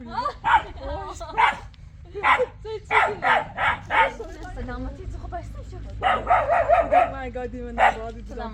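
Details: A wild young puppy, new to a nomadic household and meant to guard the goats, barks in runs of four or five sharp yaps about half a second apart, with people talking between the bursts.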